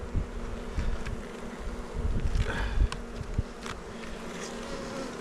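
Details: Beekeeper's honey bees on Jirisan mountain in Korea, their five-frame hive being checked in bad weather: a constant low drone with a faint higher tone, overlaid by scattered clicks and handling bumps.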